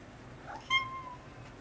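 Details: Maine Coon kitten, indoors with other kittens, giving a single short meow: a brief bright cry that slides slightly downward and fades within half a second, with faint room hiss around it.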